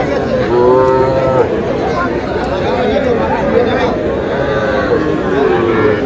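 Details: Small bulls and heifer calves at a Madaripur cattle market in Bangladesh, one giving a short, wavering moo about a second long near the start, with traders talking and the crowd's hubbub throughout.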